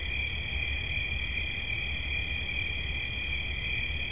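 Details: High, even trill of a cricket running without interruption, with a dull low rumble in the background.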